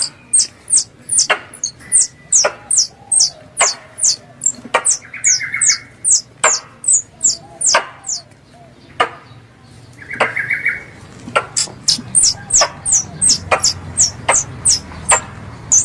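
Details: Squirrel calls compiled as a hunting lure from the slopes of Mount Kelud, Kediri, Indonesia: rapid series of sharp, high, downward-sliding chirps, about two or three per second, with short pauses between bursts and a brief lower buzzy note in between.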